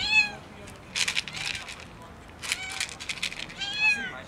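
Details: Skinny kitten meowing loudly from hunger; three short arching meows at start, middle and end, separated by bursts of hissy broadband noise, possibly rustling or scuffling nearby.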